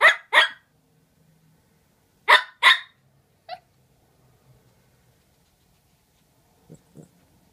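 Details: Dogs Murph and Maverick exchanging barks: two loud barks in a quick pair, a pause, another loud double bark, a single quieter yip, then near silence with faint soft sounds.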